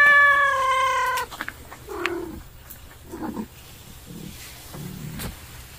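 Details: Stray cat that steals a house cat's food gives a loud, harmonically rich wail that breaks off, followed by low grumbling growls and murmurs at intervals.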